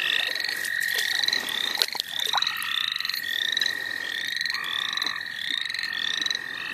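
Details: Frogs calling in the St. Olaf College Natural Lands during an evening of frog catching: a steady unbroken high trill runs beneath short rising peeps repeated about twice a second by several overlapping callers, with occasional sharp clicks.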